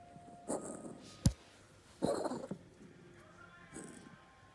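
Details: Domestic cat coughing: a short burst, a sharp click, then a harsh, rasping cough lasting about half a second, followed later by a fainter wheezy breath, indoors.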